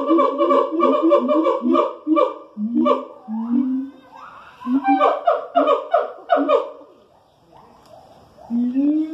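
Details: Siamangs, primates from Asia, vocalizing in the morning at the Columbus zoo: rapid bursts of barking hoots and rising whoops in quick series, pausing briefly, then resuming with further swooping calls.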